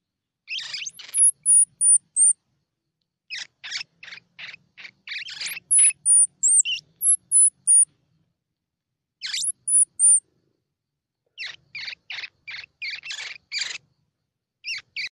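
A squirrel gives bursts of sharp, rapid chips, with thin high whistled notes slipping in between.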